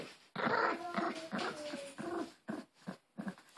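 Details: Harry, a pet Maltese, growls indoors while clinging to his new Angry Birds toy and refusing to let go; a steady, rumbling voiced growl runs for about two seconds, then breaks into shorter grumbling bursts.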